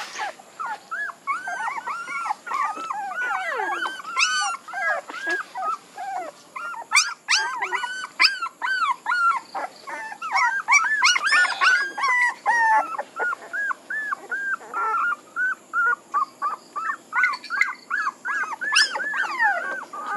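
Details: Long bout of puppy whimpering. Many short, high, arching cries overlap in a restless chorus, with shriller squeals bursting out now and then. Separate yelps come quickly, roughly two to three per second, through most of the stretch.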